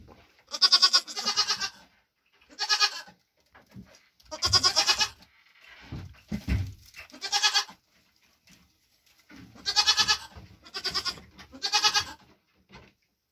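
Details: Nigerian Dwarf doe with triplets born June 18, 2023, enjoying grain after her hooves were trimmed; loud, wavering, nasal bleats, about eight, in short bursts with pauses, plus a few low knocks midway.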